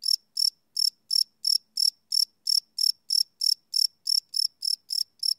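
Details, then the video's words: Night-time cricket chirps captured live on a Sony PCM D100 field recorder: a steady run of about seventeen bright, high, trilling pulses, roughly three per second, with no other sounds. "Cricket Chirp Sound - Cricket Sounds at Night"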